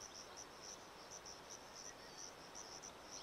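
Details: Sciobia cf. caliendrum crickets singing as a chorus near a male's burrow in Zahara, Andalucia, Spain, 17 May 2014; brief high chirps pulse irregularly two or three times a second, overlapping, above constant background hiss.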